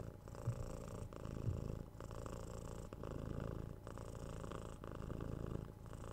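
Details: Domestic cat purring at close range, a deep buzzing rumble that pulses with regular breaths, each phase lasting about a second, quiet and even throughout.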